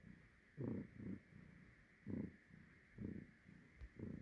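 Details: Domestic cat purring softly, rhythmic low rumbling pulses roughly every half second, quiet against a faint background hiss.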